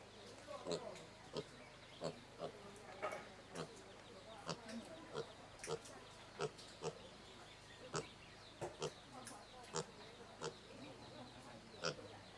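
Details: Domestic pig heard through a run of short, sharp grunts and snorts at uneven intervals, some with a low tonal core, over a steady faint hum and a high insect-like buzz in the background.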